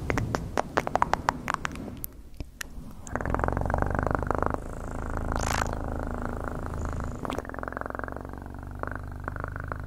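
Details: Close-up cat purr: crackling taps open the stretch, then a steady, loud, low vibrating rumble with rapid pulses holds for several seconds before easing back to softer clicks.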